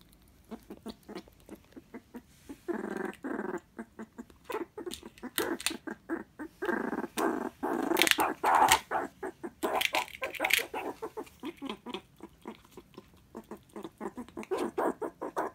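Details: Pet meerkat kept at home, excitedly eating an animal jelly snack given without a dish; rapid harsh chattering and growling bursts, buzzy and irregular, swelling louder in the middle then continuing in quick broken pulses.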